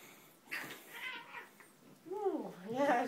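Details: Two house cats, a tortoiseshell and a cream-coloured cat, squabble in a silly fight indoors: rising and falling wavering yowls and short meow-like cries, with people talking softly in the background.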